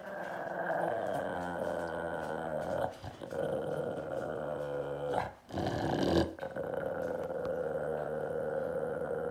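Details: Grumpy Beagle growling while guarding a dead squirrel; a long continuous low rumbling growl with brief pauses for breath, steady and menacing throughout.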